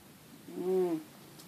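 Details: Lugosi the house cat lets out a single short, rising-then-falling meow while trying to rouse his owner from bed, in a quiet room.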